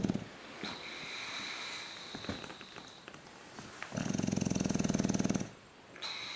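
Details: An English bulldog asleep on his back on an indoor couch, a cat curled up beside him, snoring with a coarse rattling buzz lasting over a second after softer breathing, faint steady high tones in the background.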